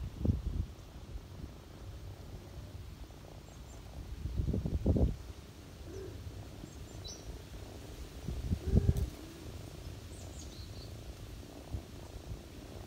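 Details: Low continuous purring from a ginger cat nursing her kittens on someone's lap in autumn, broken by a few loud rustling bursts, with small faint bird chirps overhead.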